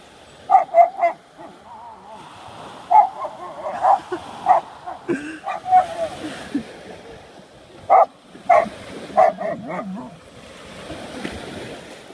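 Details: Rottweiler barking at an unidentifiable object while being urged on to get it; sharp, loud barks come in clusters of two or three, spaced a few seconds apart, with a person's voice and soft whining between bursts.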